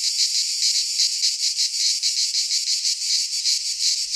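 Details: Brief stretch of midsummer cicada song from Greek pine woods: harsh, high buzzing that swells and fades in pulses about every fifth of a second, with a faint low thump at the very end.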